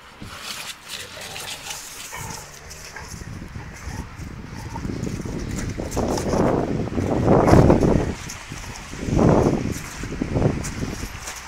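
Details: Rottweilers playing with a tyre give deep, throaty growls and snorting huffs in uneven bursts, loudest toward the end, over scuffling and faint human voices.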